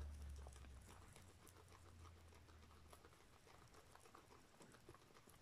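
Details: A small guinea pig eating, with rapid crunchy chewing clicks repeated about four times a second over a steady low hum, quiet and close in a small room.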